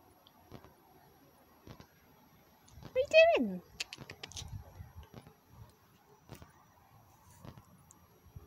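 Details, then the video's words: Domestic cat, one of two named Kit and Tibby, answering its owner's call to come indoors out of the humidity: a single drawn-out meow that rises briefly and then slides steeply down, followed by faint clicks and tapping. "Cats eventually answer my call"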